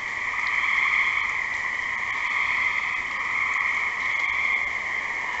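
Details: Gray tree frogs calling in a dense, unbroken chorus of overlapping high trills that hold steady throughout, with gentle swells in loudness and no other clear sounds.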